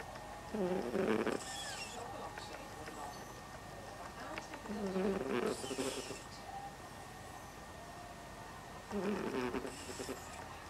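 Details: British Blue cat napping on Queen's Day 2012. It snores in three rough, rasping breaths about four seconds apart, each carrying a faint tonal whine, over a steady low background hum.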